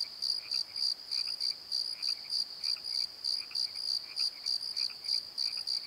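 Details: A nighttime chorus of crickets in a valley bottom, shrill pulsed chirps repeating about three times each second above a steady high whine, with softer secondary chirps between.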